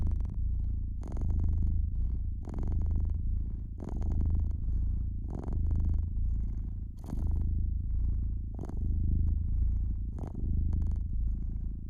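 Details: Domestic cat purring by an indoor fireplace: a steady low rumbling purr that swells and fades with each breath, about seven cycles, while the fire crackles and pops in sharp bursts throughout.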